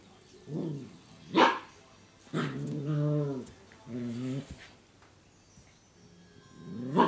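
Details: Eight-week-old female Eurasier puppy playing with a cat toy; a sharp yip, then two drawn-out, throaty play growls with rough harmonics, followed by quieter grumbles and a final short bark.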